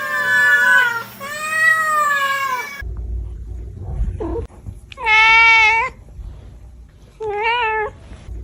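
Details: Meowing domestic cat: two long wavering meows, a pause filled with low rumbling noise and a faint short call, then two clear, strong meows separated by quiet background.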